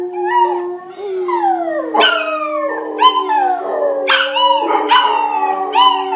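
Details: Several pet Rottweilers howling together: long drawn-out tones overlapping at different pitches, some sliding downward, with voices starting afresh every second or so.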